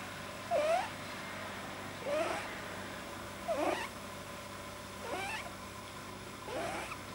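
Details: Deeply relaxed house rabbit with a likely overlong soft palate; five breathy squeaking snorts spaced about 1.5 seconds apart, the first ones strongest, over faint continuous room hum.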